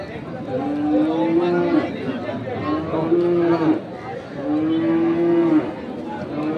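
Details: Crossbred farm bulls at Ambari livestock market, Parbatipur, Dinajpur, Bangladesh, 2 January 2024: three long, level lowing moos about two seconds apart, with traders talking in the background.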